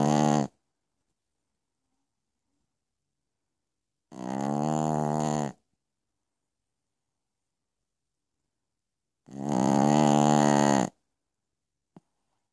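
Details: Piccolina, a Pekingese, snoring at night: three long, buzzy, rattling snores of about one and a half seconds each, with silent gaps of several seconds between them.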